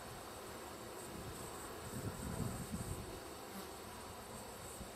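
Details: Bees of a wild hive, wrapped up and ready to be collected while still foraging, give a low, steady droning hum that swells briefly near the middle, with faint wind and rustling in the background.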